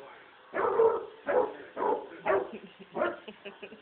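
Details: Young Basset Hound puppy barking in fear at a robot vacuum cleaner indoors: five short, hoarse, mid-pitched barks roughly every 0.7 seconds, each with a rough fading tail, on a faint low background hum.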